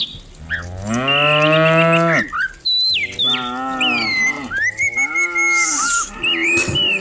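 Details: Cows herded in their dozens down a hill each morning in the village countryside. A long, strong moo that swells and then stops, followed by several shorter lowing calls, mixed with sharp, swooping bird whistles.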